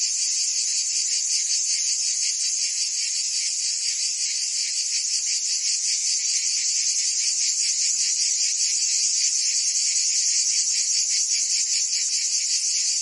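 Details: Summer chorus of many cicadas in Provence, southern France, a continuous shrill electric buzz throbbing in rapid even pulses, unbroken from start to finish, with no other sounds.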